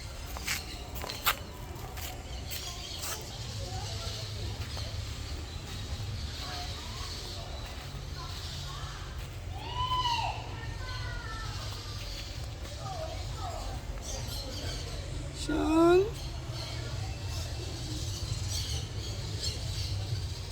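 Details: Domestic cats meowing: a pair of arched, harmonic meows around ten seconds in, then a sharp swooping meow near sixteen seconds, set against a steady low rumble and faint background noise.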